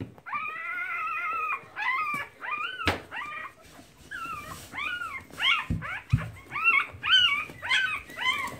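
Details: Keeshond puppies nursing, recorded March 2017: a busy run of high whining squeals and yips that rise and fall, overlapping and repeated nearly twice a second, with a few soft thumps in the background.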